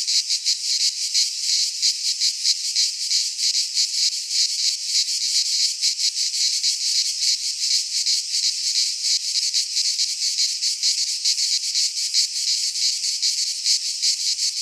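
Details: Greek pine forest cicadas in midsummer, their shrill buzzing forming an unbroken wall of sound with fast flickering pulses, unchanging in loudness across the whole stretch.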